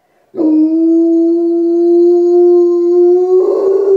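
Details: Rottweiler howling as it wakes from anaesthesia after being castrated: one long steady howl held for over three seconds, clear harmonics, slightly rising toward the end, then turning rough.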